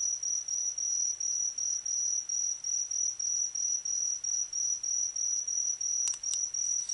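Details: High, ringing insect trill heard in autumn, rhythmically pulsed about three times per second in even beats, with two brief sharp clicks near the end.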